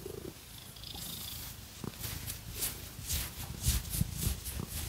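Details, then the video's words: Domestic cat purring steadily while being scratched, a low continuous rumbling throb under sharp, crackly scratching strokes that rise and fall in bursts, with no talking. "Scratchy Cat Massage | 🐈 Lots of Purring"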